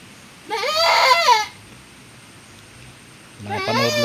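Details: Goat kept on a farm where another doe has just given birth in the rainy season; a single trembling bleat near the start, then a lower voiced sound, possibly a person speaking, at the end.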